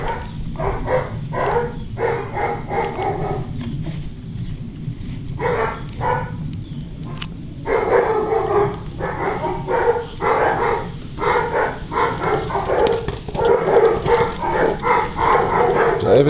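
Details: Six-week-old German Shorthaired Pointer puppies barking and yipping in rapid, uneven volleys, many short bursts following one another with brief pauses, over a steady low rumble.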